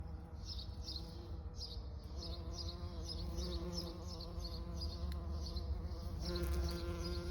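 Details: Bees buzzing; a steady low droning hum with harmonic layers and a faint repeating high chirping in the background, growing slightly louder toward the end.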